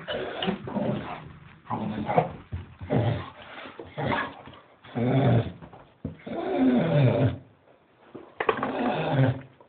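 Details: A Staffordshire Bull Terrier waiting to go for a walk gives irregular low, rumbling grumbles and moans about a second each in a small indoor room, with a Doberman joining in.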